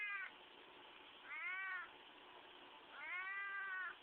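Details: Squeezed pet cat uttering three drawn-out, slightly rising then falling meows about one and a half seconds apart, steady background hiss between them.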